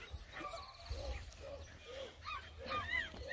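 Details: Several of nine Black and Tan Coonhound puppies on a hike around a pond, yipping and baying in short high whines and rising-falling yelps, scattered over a few seconds with low rumble of outdoor noise.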